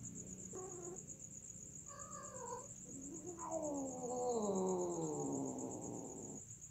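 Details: Domestic cats during mating: a few short harmonic yowls, then a long drawn-out wail that slides slowly downward for about three seconds and grows louder before stopping; a steady high electronic whine runs underneath.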